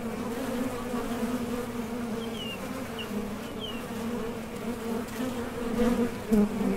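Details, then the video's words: Close drone of honey bees at a top bar hive entrance as they leave for nectar and return; an even, throbbing buzz that swells near the end as a bee passes, with soft bird chirps behind. "HONEY BEES Sound Effect #MasonJar | BEES BUZZING"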